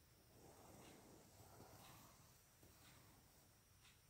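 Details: Boston Terrier playfully battling a hair clip snorts and snuffles in quick, breathy bursts, with soft wheezy hisses throughout; finding: Boston Terrier.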